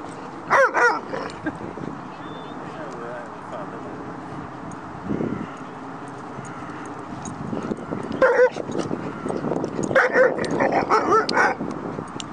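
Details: Doberman playing with Huskies, a Northern Inuit dog and a Malamute: short sharp barks and yips in bursts near the start and again later, with growly play noises and background rumble.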